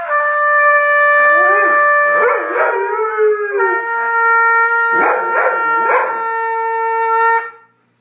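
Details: A Goldendoodle howls in wavering, rising and falling tones along with steady, sustained trumpet notes; he howls whenever the trumpet is played, whether from harmony or agitation is unclear.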